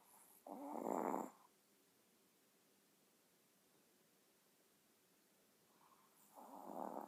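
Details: Chihuahua asleep and snoring: two rough, rasping snore breaths about six seconds apart, with near silence between them.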